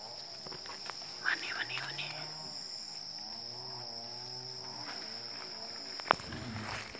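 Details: Early-morning calls from a wild Asian elephant herd in Chanthaburi Province, Thailand, 10 December 2016 at 7:18: a series of low, sustained tonal calls, with constant high-pitched insect droning and a few sharp clicks.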